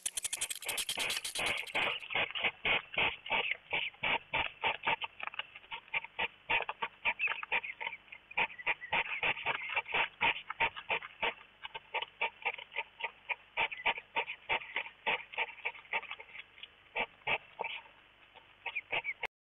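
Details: During mating season two hedgehogs circle each other inside a feeding house, snorting as courtship, mainly the females calling. A long run of rough, breathy huffs comes quickly and unevenly, with brief pauses between bursts.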